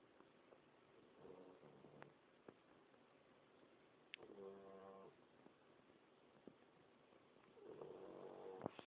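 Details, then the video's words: Bricks, a puppy, snoring: soft, low breathy noise with brief squeaky harmonic whistles on a few breaths, the clearest near the middle and the end, plus a couple of faint clicks over a quiet hiss. "Bricks my puppy snoring"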